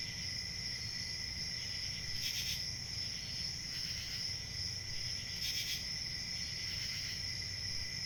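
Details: Chorus of crickets chirping: a continuous shrill, high trill holding steady throughout, with a fainter lower band beneath and brief brighter swells at about two, four, five and a half and seven seconds, over a soft low hum.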